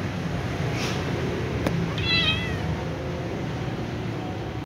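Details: Little ginger cat sitting on a motorbike, uttering one short, wavering meow partway through, faint against a constant loud hiss-like background noise, with a brief click just before.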